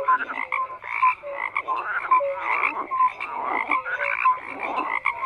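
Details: Frogs calling in chorus, rough croaking bursts repeated about twice a second alongside short clear whistled notes.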